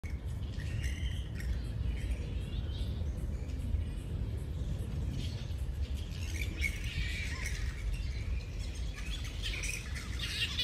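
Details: Flying foxes roosting in Centennial Park, Sydney: scattered squabbling, screechy chatter at mid-high pitch runs throughout, partly buried under a steady low rumble of wind or distant traffic.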